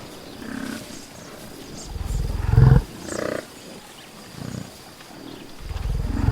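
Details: Outdoor buffalo sounds in nature: scattered deep, hoarse grunts, one louder rough bellow of under a second in the middle, softer low calls around it, and another deep grunt swelling at the close.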